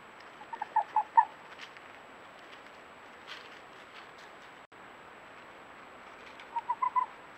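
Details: Red fox giving two short bursts of quick, clipped barks, about four notes each, one burst near the start and one near the end, separated by quiet with faint background hiss.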